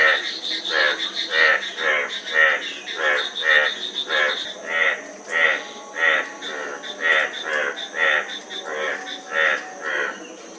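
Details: Frog calling steadily, a run of harsh pulsed croaks roughly twice a second, each note a rough rattle with strong midrange and upper tones, over a constant high insect-like hum.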